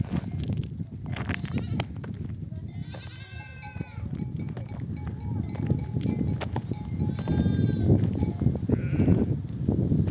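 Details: Ewes of a nomadic desert flock returning from grazing bleat for their lambs to nurse; scattered tremulous bleats from several sheep over a heavy, steady low rumble of hooves and movement.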